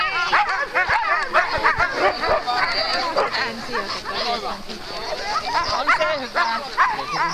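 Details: Alaskan malamute sled teams at the start of Metsäkartano Sprint, 4 March 2012; rapid, frantic yelps and barks from many dogs, roughly two per second, blended with human voices nearby.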